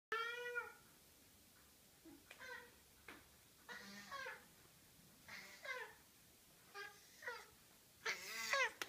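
A Maine Coon cat gives a series of short, rising-and-falling meows in a quiet room.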